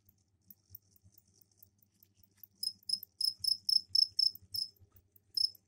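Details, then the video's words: Captive crickets in an indoor container with soil set out for egg laying give mating calls: after quiet faint ticks, loud high chirps begin midway, repeated roughly four times a second in a short burst, with a faint low hum underneath. "Сверчковые трели"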